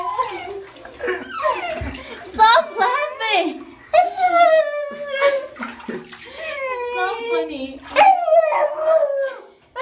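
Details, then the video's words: A Siberian Husky puppy howls, cries and yodels in drawn-out, sliding wails throughout his third shower, protesting at being washed. "Husky hates shower, howls in protest"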